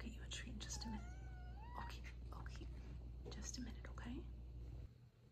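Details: Coconut, a female Ragdoll cat kept as a pet indoors, waiting for a treat, gives a drawn-out tonal meow that wavers up and down for about a second, then shorter mews, over soft whispered talking in a small room.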